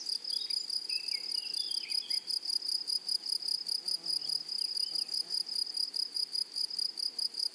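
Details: High, dry, pulsed buzzing from grasshoppers in a flowering prairie meadow, ticking about two and a half times per second without pause, with a few faint whistled bird chirps early on.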